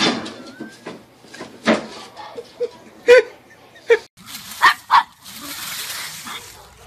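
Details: Pug giving a handful of sharp, short barks spaced irregularly, two coming close together near the end, mixed with human talking and household background sounds.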